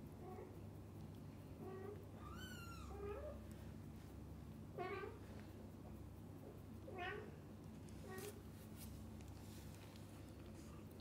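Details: Cat family of mother cat, kittens and the dad cat always at their side; a string of mews, one louder call sweeping up and down high in pitch, others shorter and lower, with soft handling noises between.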